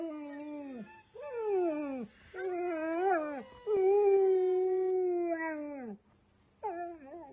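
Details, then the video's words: A Golden Retriever howls along to a recorder's tunes in a string of separate wavering notes. Each note climbs then slides downward. A longer steady howl sits in the middle, and short breaks of quiet fall between the phrases. "Golden retriever singing!"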